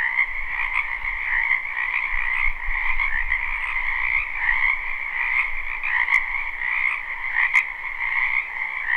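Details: Spring wetland frogs keep up a dense, continuous croaking chorus of overlapping trills, pulsing irregularly, accompanied by low rumbling background noise and two short sharp clicks late on.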